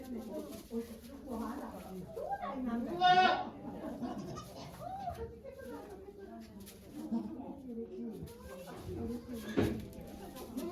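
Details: Goat Okayu giving birth to two kids at Yoshigake goat farm in Japan on 3 May 2023: a single short, strained bleat early on, while volunteers talk softly throughout.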